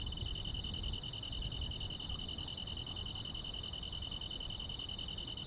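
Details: Summer-night grass insects in the countryside: continuous shrill pulsing trill, with a sharp high chirp repeating about every 0.7 seconds and soft low ambient noise underneath.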